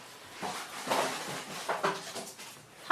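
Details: A pet cat cries out while being washed indoors, giving short, harsh, bark-like bursts, three louder ones spread over three seconds, with soft rustling and faint room noise between them.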